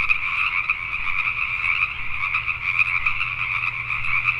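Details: Short stretch of a nighttime Pacific tree frog chorus from Richmond, British Columbia, Canada: a thick mass of rapid, overlapping croaks, steady throughout, over a soft low steady hum.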